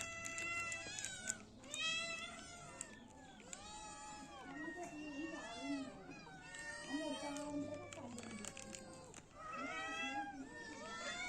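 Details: Cats and kittens meowing in clusters of high, arching calls separated by brief lulls, with lower murmuring sounds beneath and a faint hum.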